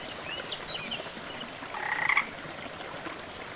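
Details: A frog gives a short, rattling pulsed call over the steady rush of a jungle waterfall in rainforest surroundings.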